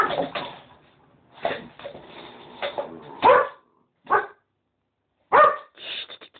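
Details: Cocker Spaniel named Trancos courting Xua, a female West Highland White Terrier who is not interested. Short, sharp barks and yips come in irregular bursts, with separate yelps near the third, fourth and fifth seconds and quiet gaps between.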